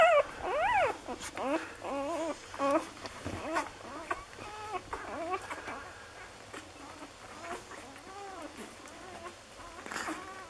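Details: Six-day-old Lagotto Romagnolo puppies of an A litter in Hamburg: a burst of loud wavering squeals in the first three seconds, then fainter scattered whimpers under soft rustling and murmuring.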